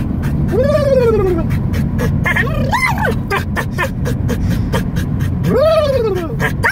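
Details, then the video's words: Pet dog yodeling inside a car: long wavering howls that slide up then fall, at about 0.5 and 5.5 seconds, with a short warbling rise near 2.5 seconds, over a steady low rumble of the moving vehicle. "my dog yodeling in the car"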